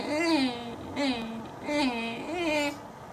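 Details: Teak, a pet dog finished eating and ready to go outside, vocalizes indoors in four short, rising-then-falling whining yowls, each under a second and spaced roughly every 0.6 seconds, sounding almost like talking.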